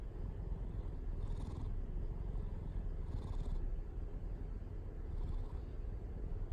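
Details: Purring house cat, described as quick to purr; low steady rumble with soft rhythmic breathing swells about every two seconds, faint hissy bursts at those moments.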